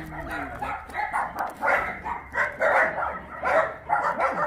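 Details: Rescued dogs playing at Mindeulle abandoned-dog shelter in Yangsan, South Korea; loud, continuous barking from several dogs at once, each bark short and rough, rising and falling in waves with little speech.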